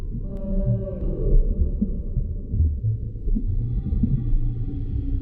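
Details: Humpback whale heard underwater with low droning moans and short grunting pulses. A thin, sustained higher tone rises near the end above constant deep background rumble.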